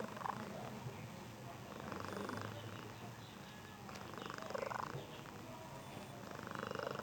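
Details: Domestic cat purring, a sound said to resemble a pigeon: soft, low, continuous rumbling with uneven swells in loudness, while people talk quietly nearby.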